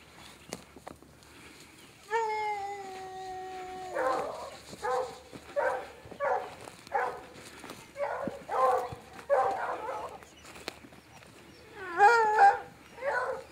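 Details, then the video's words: Hunting hounds loosed on a cat hunt after picking up a good scent on a wet morning, working somewhere down in a bottom. A long drawn howl is followed by a rapid run of loud bays, then another rising howl and more bays near the end. "They picked up a good scent. He kicked them loose and they're down in this bottom here somewhere."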